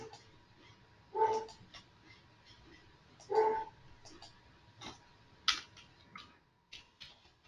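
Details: A pet dog barking in the background at home during an online software training session, while its owner apologizes; two short, harsh barks about two seconds apart, with faint clicks and a steady electronic tone.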